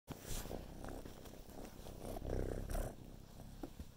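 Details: Kitten named Carolina purring while helping film her brother, another kitten; steady low rumbling purr under handling and rustling noises, with a few brief louder bumps.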